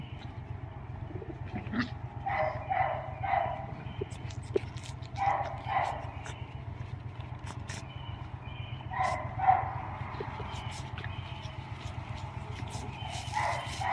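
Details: Doberman named Mrvica playing with Kerry Blue Terrier puppies; short barks and yips come in clustered bursts of two or three, with pauses between, over a steady low hum and faint clatter.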